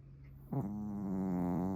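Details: Suama, a pet Pomeranian asleep on a futon, gives a deep, old-man-like snore: after a short quiet start, one long, steady, droning breath with a rich buzzy tone holds to the end.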